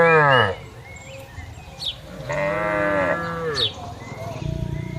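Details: Herded cattle in a green field, several harmonic moos, a short one at the start and a longer falling one at two to three seconds, with birds chirping around them.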